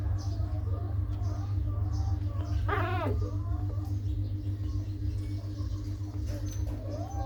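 A puppy gives a brief, wavering high whine over a steady low rumble.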